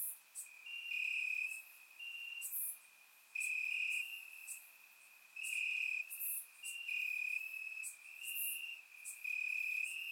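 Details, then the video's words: Crickets chirping in grass on a warm summer night in Bulgaria, captured with a surround microphone. Steady high trills come in bursts of about a second, separated by short pauses, with several insects overlapping. Occasional brief, higher clicks sound above them. "Cricket Sounds - Crickets Chirping at Night"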